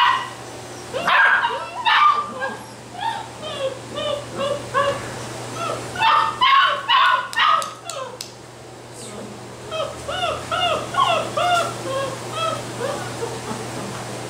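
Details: Basset Hound puppies in a chorus of high, quavering yelps and barks, many short rising-falling calls in steady rapid series, a brief lull midway before the yelping resumes.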